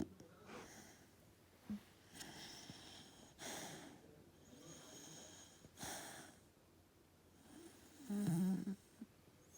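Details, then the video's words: Fox red Labrador Retriever puppy named Cara asleep indoors, snoring: soft raspy breaths every two seconds or so, with a louder wheezy snort near the end. "Snoring Puppy - Cara the Labby"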